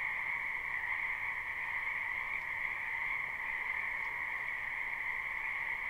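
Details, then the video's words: Spring wetland frogs in large numbers, recorded live without looping: a constant shimmering mass of calls, two steady pitch bands humming together without a break, a faint click or two the only other sound. "Ambient Noise for Sleep Frogs"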